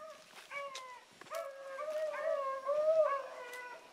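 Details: Dogs Sassy and Magnum being trained alongside Ringo and Boone, pups in training: drawn-out, wavering howls with rich harmonics, overlapping voices rising and falling over four seconds, short sharp clicks between.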